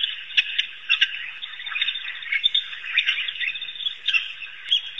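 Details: African wild dogs at Pete's Pond in Africa trade quick squeaky chirps over a constant high twittering background, short sharp notes popping out roughly every half second.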